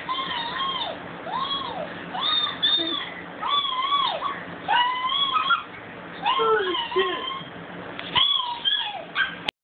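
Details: Howling from Bella, a pet dog: looping, arched cries that rise and fall, grouped in uneven runs with yippy breaks, a faint voice in the background, and an abrupt cut at the end.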